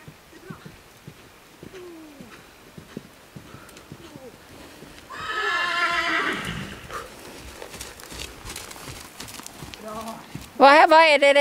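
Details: Young mare under saddle during early ridden training at trot and canter on a thawed riding arena in spring, groaning and puffing; breathy snorting bursts and a loud harsh whinny-like sound at the end, with hoofbeats and a woman speaking.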